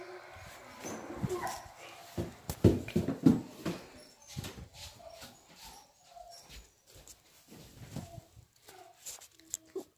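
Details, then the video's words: Dog making funny noises indoors: soft whimpers and short whines, irregular and low-pitched, with clattering knocks and faint background music. "Funny dog noises"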